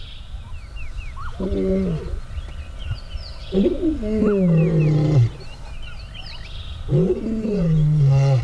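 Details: Male lions at a fence dividing their territories, the older asserting dominance over the younger: three deep, moaning vocalizations with strong low harmonics, each about a second long and two to three seconds apart, while birds chirp softly in the background.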